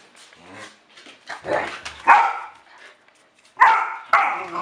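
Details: Dog barking indoors, sharp harsh barks in short bursts near the second, third-and-a-half and fourth seconds, with a human voice speaking softly in between.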